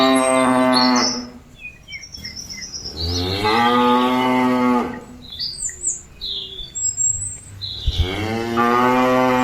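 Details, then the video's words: Cattle mooing to call companions back to the pen, three long harmonic moos spaced a few seconds apart, with birds chirping clearly in the gaps. "Suara sapi lembu memanggil kawan nya balik ke kandang"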